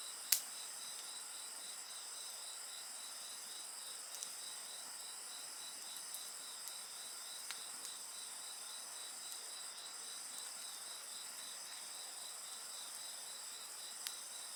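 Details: Insects singing beside a crackling bonfire: a steady high shimmering drone with a fast pulsed trill repeating beneath it, broken by occasional sharp pops and snaps from the fire.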